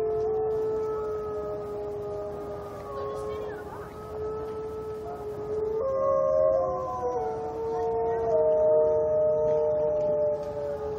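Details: Group of zoo wolves at Brookfield Zoo caught in a howling war: layered, sustained howls at separate pitches overlap continuously. Voices shift upward and break into stepped changes partway through, with faint background noise.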